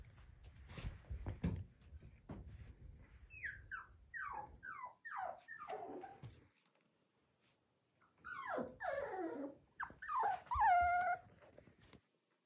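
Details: Poodle kept at a dog breeder in Okayama, Japan, giving a run of high, whiny whimpers that slide downward, several in quick succession, then a second burst of louder, more strained whines ending in a drawn-out squeal; low rumbling handling noise early on.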